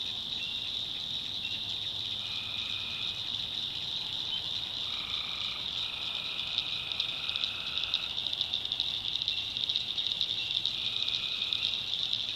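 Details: Swamp at night in North Carolina backwoods with tree frogs: a constant high pulsing chorus and several shorter buzzing trills, each about a second long, scattered through, above a faint low hum.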